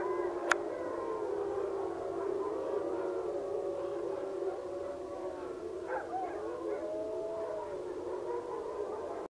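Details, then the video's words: Several wolves at a wolf sanctuary howl together just about sunrise, long drawn-out tones overlapping and sliding up and down. "Morning howl at Wild Spirit Wolf Sanctuary"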